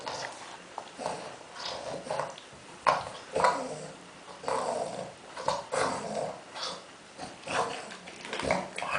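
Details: Pet dog surrounded by tennis balls, grunting in a way that sounds more like a pig; rough, low snorts and huffs in uneven bursts with brief pauses, heard in a small room.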